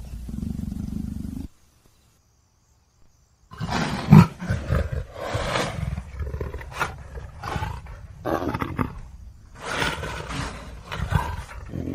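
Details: Low rumbling growls from a leopard, then a pause of about two seconds, followed by a series of rough, throaty bursts and grunting roars of uneven length.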